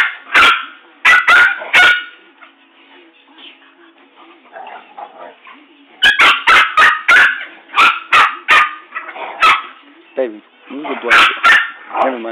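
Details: Rottweiler and poodle tussling at home. A fast run of sharp barks opens, then a lull with murmuring voices, followed by a dense volley of yappy barks over the last six seconds.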